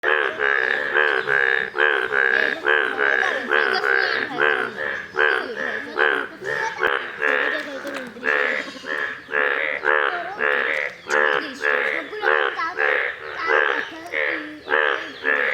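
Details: Rare yellow Indian bullfrogs in a pond, giving a steady chorus of loud, nasal, harmonic croaks, several callers overlapping, about one call each second.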